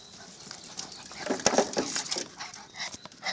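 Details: Puppies born 24 April 2013, a gang of young dogs calling together; short overlapping high yelps and squeals clustered around the middle, with scattered clicks and rustling noise.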